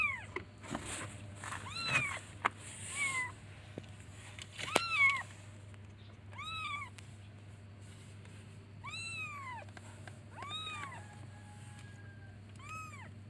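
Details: Kittens calling for their mother by meowing: a run of high, arched mews, thin and rising-then-falling, coming singly and in quick pairs, louder in the first half with faint rustling and handling noise beneath.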